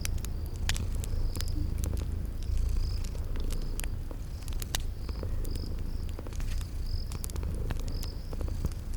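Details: Continuous deep purring from sleeping kitties, with crackling fireplace snaps and repeated brief high cricket chirps in a spring garden ambience.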